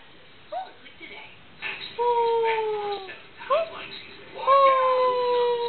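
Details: Six-month-old medium Australian Shepherd puppy learning to howl: brief rising yelps, then two long, steady, slightly falling high-pitched howls of about a second each, separated by a short whine, over faint background hiss.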